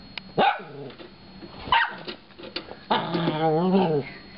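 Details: A little Shorkie dog reacting to a DVD player gives short sharp yelps, then a drawn-out, wavering whine that rises and falls for about a second before stopping.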